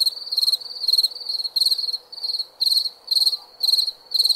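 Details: Short stretch of night cricket song: bright, pulsed chirps about two per second, some louder than others, over a quiet steady hiss.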